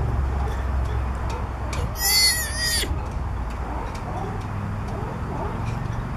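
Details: Southern sea otter pup about three weeks old, on a boat's back in Monterey, California, calling for its mother with a single shrill, wavering squeal lasting under a second, set against low constant rumble and faint clicks.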